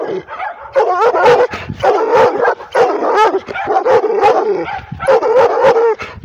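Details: A female pit bull–Redbone Coonhound mix barks aggressively at the camera in drawn-out, baying bursts with a wavering pitch.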